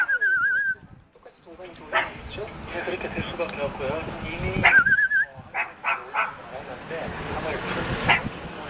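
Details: Playful puppy in Jeonju, South Korea, begging for a game with short quavering whines at the start and middle, between scattered yips and steady human chatter.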